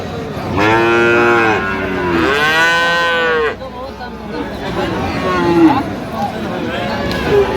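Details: Lowing from Friesian and crossbred bull calves bought by a Madaripur farmer, Bangladesh, 21 October: two loud rich moos back to back in the first few seconds, then fainter calls and murmuring people.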